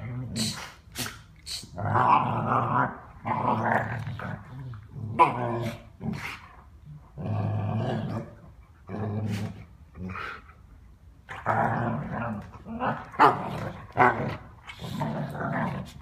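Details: Dog growling while playing, a long series of short rough rumbling bursts, some with higher grating edges, indoors with a few faint voices.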